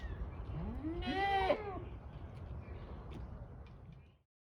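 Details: A Kiko goat at Assiniboine Park Zoo, May 2023, gives one loud, wavering bleat that rises and then falls, over a low rumble.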